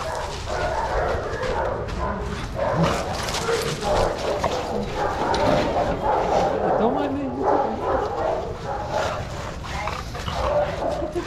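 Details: Many dogs barking at once in a shelter play yard at Pima Animal Care Center, Arizona, while they romp together; a continuous chorus of overlapping barks with human voices mixed in.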